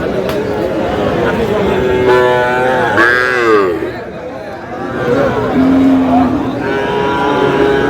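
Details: Sahiwal bull calves at a cattle market in Cumilla, Bangladesh, 9 June: a short, steady low moo rises out of a crowd of men's bargaining voices late in the clip, with a brief higher call just before it.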